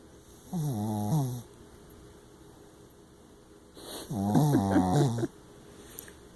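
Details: Small Shih Tzu / Yorkshire Terrier dog snoring while asleep, tired after a hike: two long, nasal, harmonic snores about three seconds apart, the second louder and longer, over a steady indoor hum.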